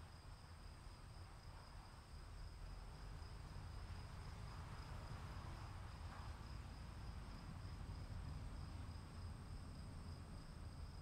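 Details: Continuous cricket trilling during rain, a thin high whine held steady in two layered tones for the full stretch, with heavy low rain noise underneath.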